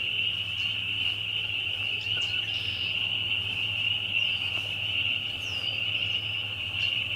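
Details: A very loud chorus of many spring peepers: a dense, unbroken high-pitched band of overlapping peeps that blur into a steady shrill ringing, with a low steady hum underneath and a few faint higher chirps.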